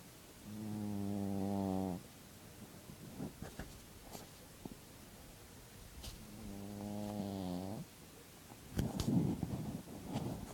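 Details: A sleeping dog snoring in a room: two low, buzzy, harmonic snores about five seconds apart, each lasting over a second, with soft clicks and rustles between them.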